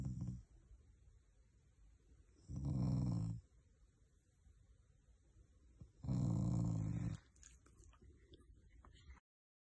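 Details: Affectionate, not angry, growling from a family pet Shiba Inu: two deep, rumbling low growls each lasting about a second, spaced a few seconds apart, with a brief earlier rumble and quiet room sound between.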